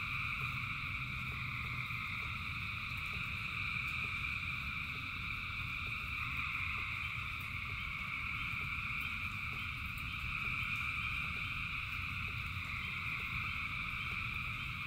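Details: Thousands of frogs calling in the rain form a dense, unbroken chorus of steady high trilling layers, with a low rumble of rainfall and scattered drip-like taps beneath.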